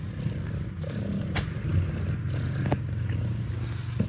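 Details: Deep, pulsing purr from a mother cat and her nursing kittens at Catfe cat cafe in Ho Chi Minh City, Vietnam, with steady rhythmic throbs and a few small clicks and taps.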